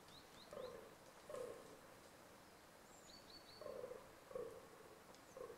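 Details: Fallow deer in rut with scattered low, gruff groans in two short bouts separated by a pause, while a small bird's quick descending chirps sound high above.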